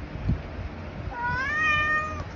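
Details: Tabby cat indulging in treats, giving a single drawn-out meow that starts after a brief thump, rising slightly then holding steady before fading, over a low background hum.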